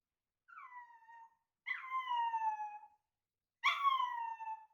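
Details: Chihuahua puppy, male, indoors, howling in reply on hearing a recording of its own voice: three drawn-out, clear, slightly falling tonal wails, each about one second long, with short silences between and a quiet room behind.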